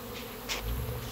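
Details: Hundreds of honey bees fly around their hive in a play flight, not swarming, making a low, steady drone of many bees buzzing together in flight.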